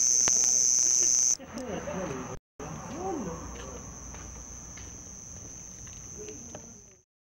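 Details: Male house crickets at Hammam Lif on the Gulf of Tunis coast, stridulating near houses at nightfall in summer: a loud high steady trill that drops suddenly after a second, then continues fainter beneath murmuring human voices.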